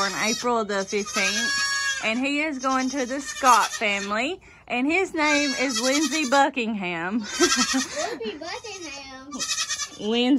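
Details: Loud baby goats of kidding season 2022 calling over and over: strained, wavering bleats with trembling vibrato, several kids overlapping in long bursts separated by brief pauses.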